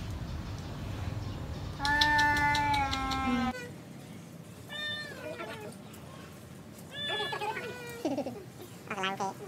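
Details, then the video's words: Two cats in a village yowl while fighting over a female: a long steady drawn-out cry, then wavering, bending howls with rich overtones. The clip opens with low rumbling noise. "Two Cats fight each other for beautiful girl [Cats Battle]"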